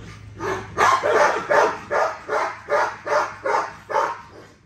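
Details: Female XL ghost tri American Bully barking during a workout: a run of about eight even, broadband barks spaced roughly a third of a second apart, with a low steady hum beneath.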